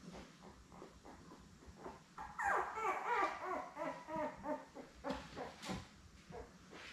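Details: Newborn Labrador Retriever puppies, a litter of seven born May 24, 2021, with their mother Belle on an indoor puppy cam on June 3. Overlapping high whiny squeals and whimpers rise and fall quickly, several pups crying at once.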